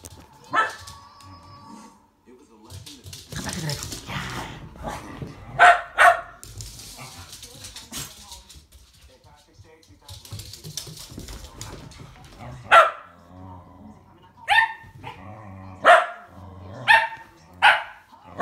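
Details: Two Shetland Sheepdogs, one tricolor and one blue merle, racing on 22 February 2017; sharp single barks ring out at uneven gaps in the second half, mixed with a man's encouraging speech and rustling movement.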